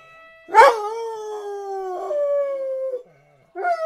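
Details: Black dog singing to sirens, starting with a sharp burst that swoops into a drawn-out howl, a brief tonal shift midway, then a short fresh howl after a second of silence.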